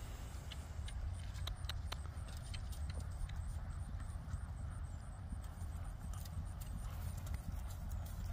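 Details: Friesian mare being ridden: sharp, irregular hoof clicks scattered over a heavy, steady low rumble of wind and movement noise.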